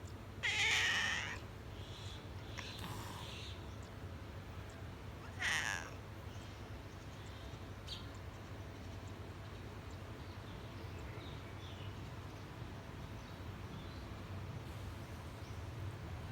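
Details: Cat with kittens meowing: a loud, bright meow near the start, a softer one around three seconds and another near five and a half seconds, separated by quiet stretches with faint low background hum.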